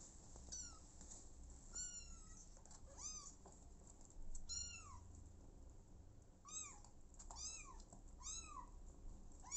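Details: Abandoned kitten calling repeatedly with high, thin meows that rise then fall, about a dozen over ten seconds, some in quick pairs, against a quiet indoor background with faint rustling.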